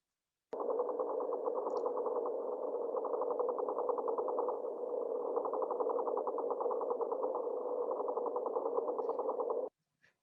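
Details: A silver perch drums underwater by vibrating its muscles against its swim bladder: a rapid, steady run of low knocking pulses blurring into a purring croak.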